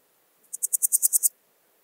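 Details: Swiss gold grasshopper at Wildhaus, Switzerland, 7 October 2022, giving a single short burst of about eight rapid, evenly spaced, high hissing pulses that swell slightly in loudness, lasting under a second.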